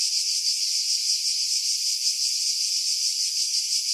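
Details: Greek cicadas at Pefkos Bay, Skiros, in summer pine woods: an unbroken, piercing high buzz with only faint fluttering pulses, heavily filtered to strip out wind.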